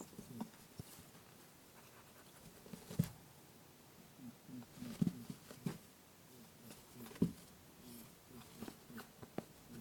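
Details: Lop rabbit playing indoors, pursuing its companion Pooh while uttering boo-boo calls, TASCAM DR-07X recording: scattered soft low honks among frequent footfall thumps and patter over about ten seconds.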